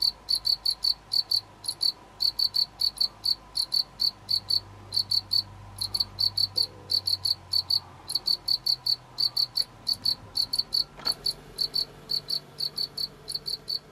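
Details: Chirping from a pet house cricket: rhythmic high shrill pulses, about four each second, running in long runs with occasional brief breaks; soft low indoor rumble and a faint click underneath.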